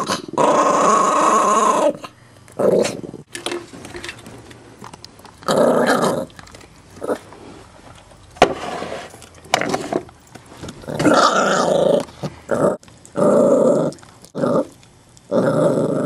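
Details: Indoor Chihuahua mix putting on a tough act over a bone; repeated bursts of snarling growls separated by quiet gaps, with a few higher whining notes mixed in.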